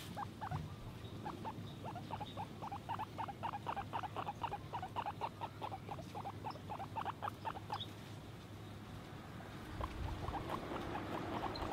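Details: Guinea pig giving a rapid series of short, bright squeaky chirps, about four each second, running steadily for most of the stretch before trailing off into low rustling background noise.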